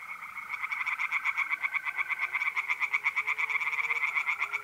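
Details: Tree frogs singing by night in a pond in north-east Italy in mid April: rapid, steady trains of sharp, bright pulses, several per second and overlapping, over the even, continuous trill of mole crickets.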